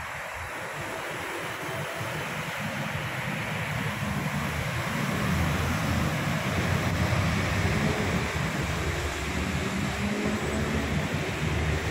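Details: Steady broadband rush of surf and wind with a low engine-like rumble, no animal voices. The noise swells slightly after the first few seconds and stays even to the end.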